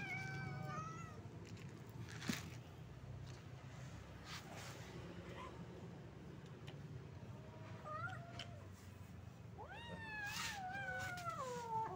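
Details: Kittens and grown cats living on the street come together for food, giving a quick meow at the start, a short one around the middle and a run of rising-then-falling meows toward the end, with low traffic-like hum throughout.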